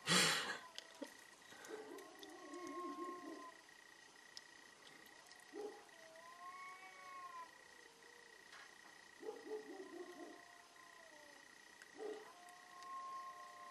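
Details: Cats in a fierce fight: drawn-out, wavering yowls near mid pitch, broken by harsh noisy bursts of hissing or scuffling around three and ten seconds, over a steady faint high tone.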